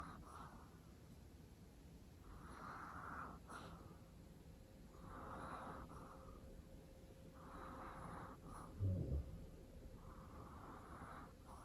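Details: Long-coat Chihuahuas chip and prin napping together indoors, one giving a loud, old-man-like snore: soft, breathy rasping snores repeating about every two and a half seconds, each swelling and fading, in a quiet room.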